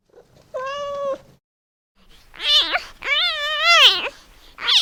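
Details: Kitten calling its mother with a flat, steady meow, then after a pause a louder, wavering series of strained cries that rise and dip in pitch, ending on another sharp call.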